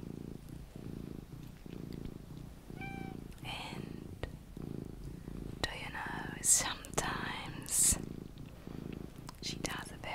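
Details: Domestic cat Luna purring in a quiet room. The low throbbing rumble comes in regular bursts under frequent close whispering, with a few sharper clicks and rustles.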